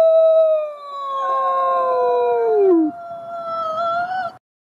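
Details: A gray wolf howls in a long, smooth tone that slowly slides downward, with a second wolf joining in.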